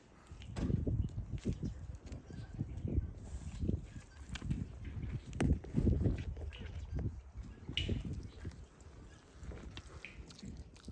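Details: Wild boar piglets relaxing at a farm make deep, muffled grunts and snuffles in short, uneven bursts, with faint rustling and occasional light knocks between the calls.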